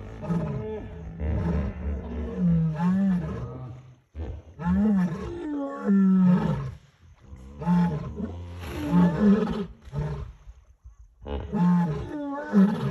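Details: Three lions on the Talek river bank in the evening, attracted by a hippo carcass and calling against hippos; repeated deep groaning roars in bouts of a few seconds separated by short silences.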